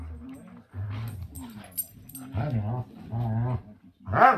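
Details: Playing dogs Juliette and Nogal trade low, wavering growls in several short bursts, ending in a louder, higher rising whine-growl.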